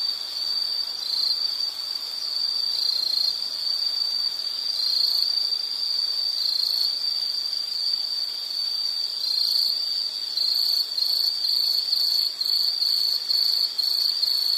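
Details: Insect chirping as a calming nature background: a steady high trill with irregular pulses and a faint higher band above, continuous throughout with no other sounds.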